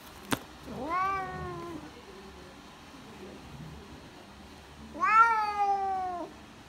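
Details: Bengal cat named Kuma meowing in a vet's waiting room: two drawn-out, harmonic-rich meows, one near the start and one near the end, each about a second long, holding steady then sliding slightly downward, with a quiet room between them.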